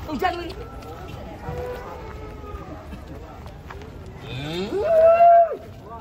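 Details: Giant cattle unloaded from a truck in the morning; a long, loud moo rises and holds steady near the end, with faint earlier lowing and people talking nearby.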